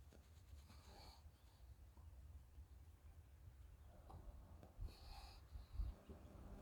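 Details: Shiba Inu named Chichi, a friendly dog kept in Kanahama, Aomori City, Aomori, sneezing while petted and groomed during its moult. Two short, soft, snorting bursts about four seconds apart over a low, rumbling background.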